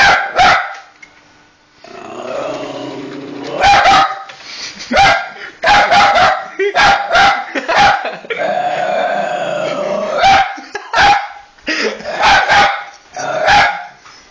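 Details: Pet dog barking at a PS3 console whenever its eject is pressed, set off by the noise, growling between barks: sharp, loud barks in quick bursts, about a dozen, broken by longer rumbling, droning stretches.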